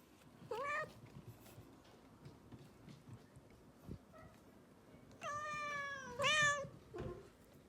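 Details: Rescued domestic cat indoors, meowing: a short rising meow near the start, then two longer harmonic meows late in the clip, the second louder and slightly bending; quiet room with faint rustling between calls.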